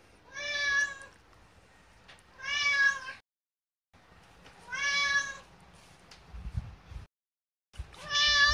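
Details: Hungry house cat begging insistently for food two hours before mealtime, giving long drawn-out harmonic meows in three bursts, some almost sounding like the word for rice, with short quiet gaps between calls.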